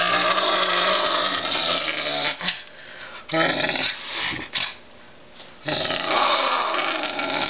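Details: Max, a bottle-raised Canada lynx and educational animal ambassador, aggressively guarding his chicken leg at feeding time: harsh, loud, rasping growls in long bursts, broken by brief pauses near two and a half seconds and a longer lull around five seconds.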